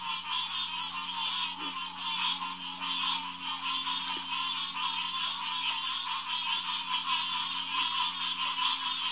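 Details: Night chorus of many green tree frogs at a refuge headquarters pond in early June 2021, about 9 pm: steady, layered croaking notes repeating roughly once a second, blending into an unbroken throbbing mass over a faint low drone.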